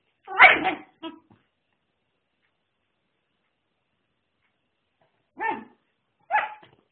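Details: Airedale Terrier puppy Rex Pierre giving a loud short bark followed by a smaller yip, then after a long silent pause two more short barks spaced about a second apart.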